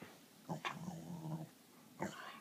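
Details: Roo, a female Pembroke Welsh Corgi, is asked her name and gives a low, drawn-out growly sound that bends in pitch like talking; she can say "I'm Roo Roo" but was not really cooperating that day.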